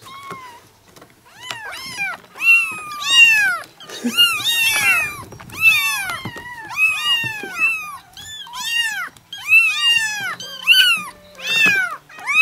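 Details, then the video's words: A litter of seven four- and five-week-old kittens in a yard chorus loudly, their thin, arching mews piling over each other in rapid succession, barely a gap between calls, a faint low hum underneath. "Kittens meowing (too much cuteness) - All talking at the same time!"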